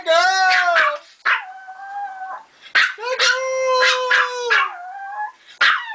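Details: Female dog howling after being praised as a good girl: long, wavering, high tonal howls held one to two seconds, sliding and dipping at the ends, broken by short yelping yips.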